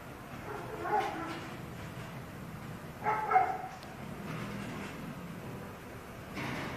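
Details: A dog barking wildly, giving an uneven series of sharp barks, including a quick double bark, followed by quieter yelps.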